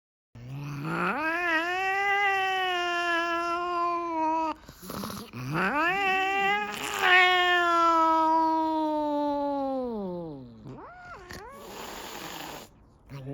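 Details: House cat giving two long, drawn-out wailing meows of about four seconds each, steady then falling, followed by a short wavering call.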